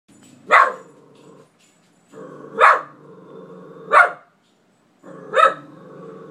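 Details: Pet dog barking at an empty closet, a behaviour that went on for about five minutes indoors; four sharp, loud barks roughly every one to two seconds, with a low, steady growling whine between them.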